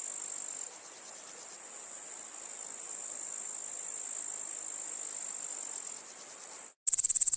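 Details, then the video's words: Grasshopper chirp heard as a continuous high, shimmering buzz with a slight dip in loudness early on. Near the end it cuts to silence, then returns as a louder, sharply pulsed chirping. "The sounds of the grasshopper | How it chirps"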